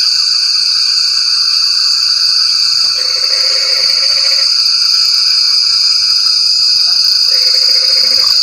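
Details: Rain-time frog chorus, with two short bursts of rapid, pulsed croaking a few seconds apart, set against a constant high-pitched buzzing drone of insects.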